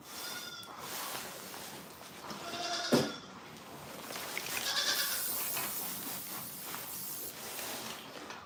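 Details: Farm goats giving a few shorter, fainter bleats among rustling and a sharp click near the middle, with a broad hissy background throughout.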